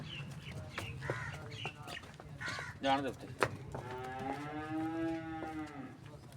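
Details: A Cholistani Friesian cross cow from Pakistan moos long and steadily for roughly two seconds, the tone gently sagging at the close. Earlier come short knocks, clatter and a few faint voices.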